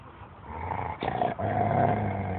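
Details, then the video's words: Thai Ridgeback Taya, an 18-month-old female, growls off camera over game caught by a shepherd dog named Bella, after taking it away. A low, steady rumbling growl follows a brief noisy burst, over background noise. "Тайский риджбек Тая рычит за кадром"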